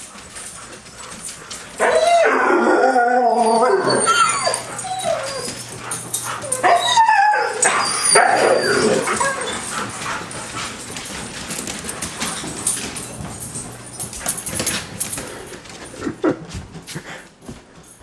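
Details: White huskies, excited after spotting a deer in the front yard, running around the house and looking out the windows; high whining cries and yips rise and fall in bursts over the first half, then softer scuffling and panting.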